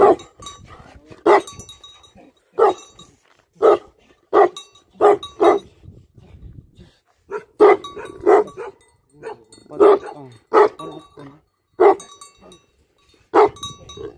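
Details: Tibetan Mastiff, called Bhote Kukur in Nepal, barking in deep, heavy single woofs, each spaced one to two seconds apart and separated by quiet gaps, with a few faint background noises.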